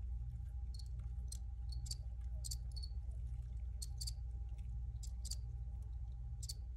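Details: Cricket chirping, brief bright pulses repeated roughly twice a second at an uneven pace, over strong constant low-frequency rumble and a faint steady tone.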